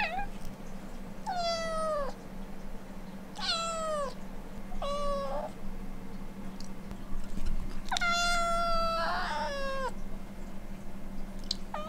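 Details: Indoors, the Siberian Forest Cat sisters Kitsune and Maneki plead to be let out into the yard with five insistent meows, some long and falling, some short. One near the end breaks rough. A constant low hum runs beneath.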